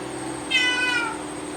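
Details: Cat giving a single high, thin meow that falls slightly in pitch and lasts about half a second, over a steady background hum.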